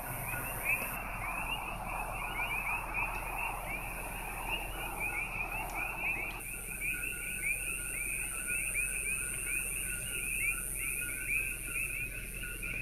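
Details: A dense night chorus of coqui frogs on the Big Island, Hawaii, countless high two-note chirps overlapping without pause, with a cricket loud near the car.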